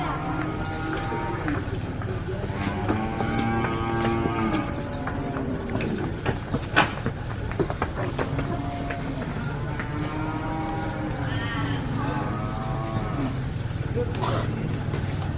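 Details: Several cows moo in overlapping, drawn-out calls over a steady low engine rumble as cattle are unloaded from a truck at a cow farm.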